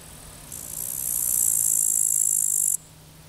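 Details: Grasshopper stridulating by the Zawadowski embankment on the Vistula, 15 August 2021: one dry, hissing high-pitched buzz lasting just over two seconds, starting abruptly and cutting off sharply, over a faint low hum.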